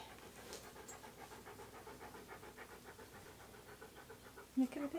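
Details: Key, a Siberian Husky, pants during an indoor photo session wearing hats and other clothing: quick rhythmic huffs repeat roughly every fifth of a second, soft and steady, before a short voice-like burst at the close.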